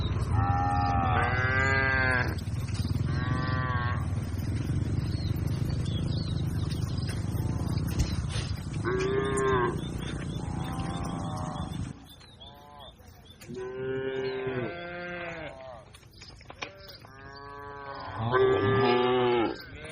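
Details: Cattle herd grazing, several animals mooing in turn: drawn-out harmonic calls that rise and fall, overlapping one another over a steady low rumble that fades after about twelve seconds, with more moos answering near the end.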